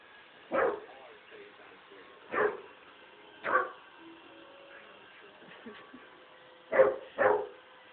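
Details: Basset Hound puppy scared of a robot vacuum gives five sharp, isolated barks spread irregularly over eight seconds, the last two close together, against a steady faint mechanical hum from the machine.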